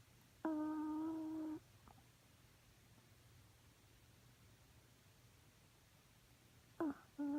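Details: Snoring chihuahua named Romeo, a sustained whistling hum of about one second followed by a long quiet gap before the next nasal tone begins, with faint low room hum throughout.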